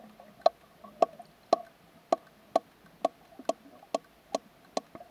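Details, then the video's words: A sperm whale named Canopener gives sharp, knocking clicks, evenly spaced about twice a second, spinning underwater to echolocate as she calls to her smaller companion Hope; faint clicks of her social unit sound from the depths. "How a Sperm Whale DMs a Friend"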